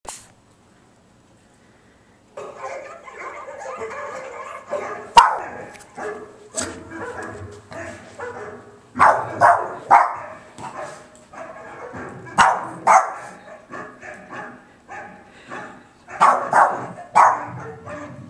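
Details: Boston Terrier named Patsy Cline, a pet, barking as if auditioning for a VW commercial: after two quiet seconds, short sharp barks arrive in irregular bursts, some doubled, with sharp clicks between them.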